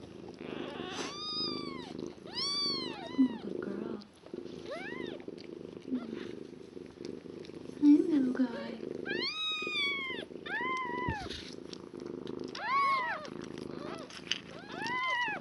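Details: One-day-old foster kittens from a litter of five, with their mother cat, give repeated high arching mews in short bursts of two or three, separated by pauses, over a steady low purr and faint handling noises.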